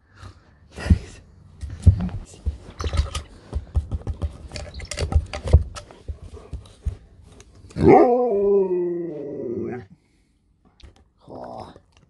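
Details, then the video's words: Sherpa, a pet Alaskan Malamute, indoors while a person asks whether it is hungry; many clicks and chewing-like taps, then one loud two-second harmonic woo that wavers and falls, a brief grumble after. "You'll never get bored living with a Talking Malamute"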